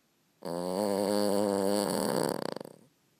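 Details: A very tired Boston Terrier gives one long, deep, droning buzzy snore held over two seconds, ending in a loose rattling flutter like a small engine sputtering out. Boston Terrier.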